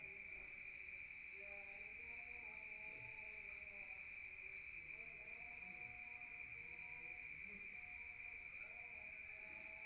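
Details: Nighttime crickets in the countryside, heard from inside a room, keep up a constant piercing trill. Faint, wavering lower notes repeat softly in the background throughout.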